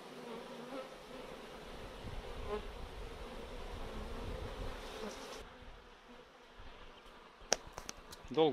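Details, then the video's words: Swarming honey bees gathered off a chain-link fence with a swarm catcher, a dense whirring drone for about five seconds, then a quieter, thinner buzz broken by sharp knocks near the end. "How to deal with a swarm of honey bees"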